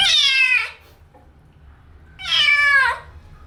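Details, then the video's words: Kitten meowing while being washed for the first time: two loud, drawn-out meows, each bending downward, separated by about a second and a half of quiet. "Wash My Kitten First Time | Meowing kitten Sound effects"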